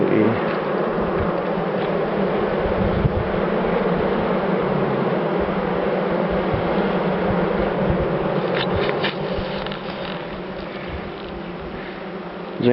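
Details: Calm, non-aggressive European dark bees in a top-bar hive colony inspected in late September; a loud, continuous droning buzz of massed bees throughout, fading slightly toward the end.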